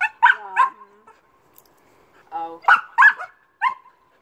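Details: Barking from Amy the Old English Sheepdog as she jumps: three quick yaps at the start, then after a short human voice another run of three loud, bright barks.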